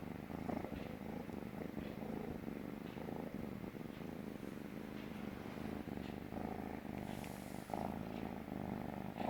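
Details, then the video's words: Loud purring from a stray kitten sitting on a lap for the first time, a sign it feels safe; steady low buzzing purr in breathing-paced swells, close and continuous. "Kitten making this noise means he feels safe!"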